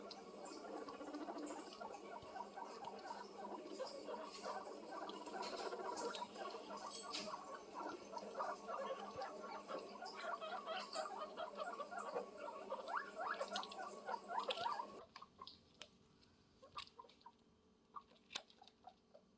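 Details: Guinea pig calling for love, a low rumbling purr of rapid pulses for about fifteen seconds, then quieter scattered clicks and squeaks.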